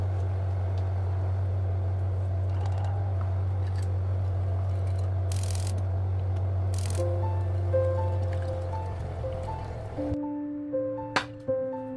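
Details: Low steady hum under soft background noise, then gentle sustained musical tones and a few light knocks toward the end, with no animal calls.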